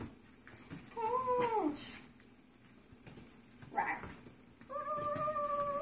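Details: Foster Yorkie puppies playing together before going to new homes, heard as quiet, thin, drawn-out whines: a wavering one early, a brief squeak, then a steady high whine at the end.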